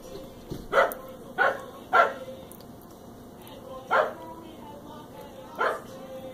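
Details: Corgis playing and trying to eat a curious bee, giving five short, sharp barks at uneven intervals over about six seconds, with faint music in the background.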